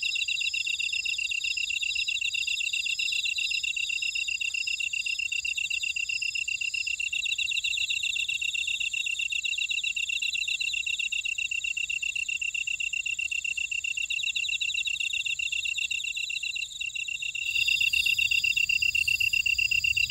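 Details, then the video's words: Insect chorus from a buckwheat field in Ora-dong on Jeju Island, South Korea: continuous high rhythmic chirping from many callers, steady throughout, with a brief dip and a slight shift in background near the end. "제주 메밀밭의 풀벌레 소리"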